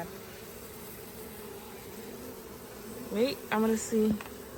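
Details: Bee swarm that has been caught: a faint, steady low hum runs throughout, then three loud, close buzzing bursts of flat, droning tone break in during the last second and a half.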